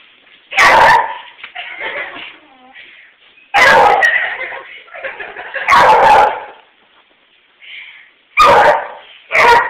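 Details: A dog chasing a light gives loud harsh barks roughly every two to three seconds, with thin whining and whimpering sounds in the gaps between bursts.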